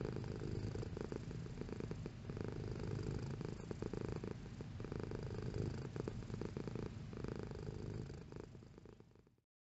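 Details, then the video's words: Cat purring with a strong low rumble, breath cycles marked by gentle surges, holding steady before fading out and ending in silence near the close. "Cat Purring Sound Effect"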